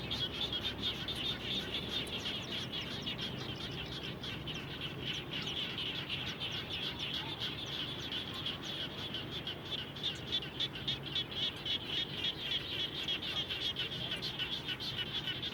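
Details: Frogs calling around a home after rain: a dense chorus of short, sharp, mid-high chirping pulses, about three or four each second, overlapping from several callers over a steady low outdoor hum.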